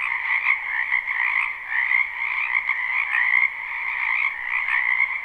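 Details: Springtime wetland frog chorus from a live, unlooped recording: countless frogs croak at once, giving a continuous rattling wall of high and mid-pitched trills, with slight swells in loudness roughly every second or two.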